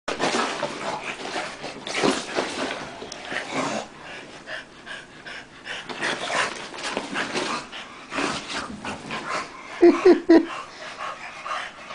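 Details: Two dogs, Tank and Bofa, grappling in play: bursts of rough, breathy growling and snuffling come in waves, with quieter gaps between scuffles and a few sharp higher yelps near the end.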